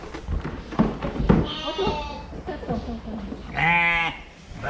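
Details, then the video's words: Two tremulous sheep bleats from a cute fluffy sheep: a softer wavering one, then a brief louder nasal bleat, with thumps and rustling beforehand. "เสียงแกะ แกะขนฟูน่ารัก sheep"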